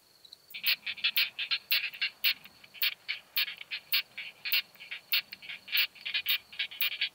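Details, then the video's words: Curve-tailed plump bush-cricket (Isophya camptoxypha) singing at Hohenbrugg an der Raab, Austria, on 4 June 2021, picked up with a Pettersson D 100 ultrasound detector: dense bursts of short, dry, high ticking chirps in uneven clusters over a steady faint tone. "Isophya camptoxypha -- Fiebers Plumpschrecke -- Curve-tailed Plump Bush-cricket"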